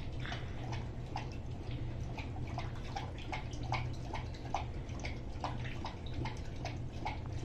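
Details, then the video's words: Rousseau, a Greater Swiss Mountain Dog, eats a soup of turkey, carrots, cauliflower, tiny bits of red bell pepper, coconut oil, ground flax seed and water indoors: wet lapping and slurping clicks, about two a second, over a steady low hum. "Rousseau eating soup - Greater Swiss Mountain Dog"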